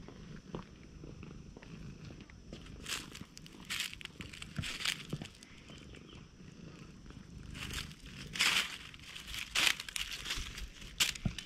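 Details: Stray cat that approaches warily and purrs, recorded close up with a GoPro HERO8: a low, steady rumbling purr underlies loud rustling, rubbing and crinkling contact noises from stroking.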